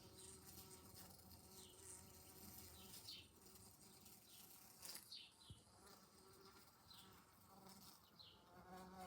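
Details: Indoor bee caught against a window in July, making a continuous rough buzz that swells and fades slightly, broken by a sharp knock or tap about halfway through.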